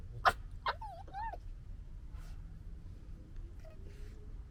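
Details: Red fox cubs fighting and playing in summer 2021, recorded on a DJI Osmo Pocket 2: two sharp harsh bursts open, followed by wavering, nasal whining squeals that bend up and down, then quieter scattered chatter over a low background rumble.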